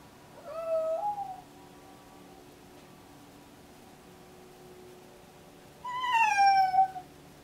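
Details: Deaf, pregnant house cat, excited during pre-labour and meowing all the time, gives a short wavering meow, then after a long pause a louder, bright meow that falls in pitch, with a quiet room behind.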